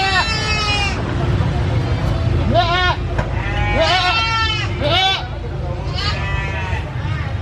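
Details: Brown goat at a busy animal market, bleating loudly: a run of wavering, nasal bleats, some long and some short, arriving about every second, over steady low crowd and market rumble.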